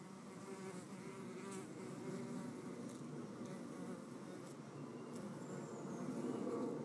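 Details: Red mason bees scuffling at a nest cavity, pushing and biting; dense rough buzzing that swells and fades, wavering low drone with harmonics, a few faint high chirps behind it.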